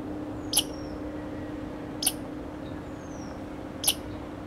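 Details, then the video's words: Scolding American red squirrel recorded in Grand Forks, North Dakota, 01 July 2009; three abrupt, noisy chips spaced about one and a half seconds apart, with a faint falling whistle in between and a constant low background hum. "Red Squirrel (Sciuridae: Tamiasciurus hudsonicus) Scolding"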